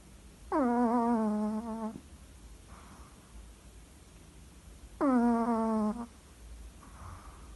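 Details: A sleeping Chihuahua from Capdepera snores. Each drawn-in breath makes a nasal, humming, tonal rasp lasting about a second and a half, followed by a soft airy breath out, in a cycle about every four and a half seconds.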